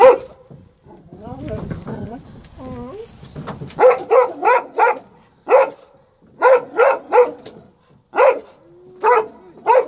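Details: Presa Canario Major demonstrating protectiveness in a play attack after reunion with son Roscoe, Atlanta, January 2014; a person talks first, then a steady series of loud barks roughly every half second with brief gaps.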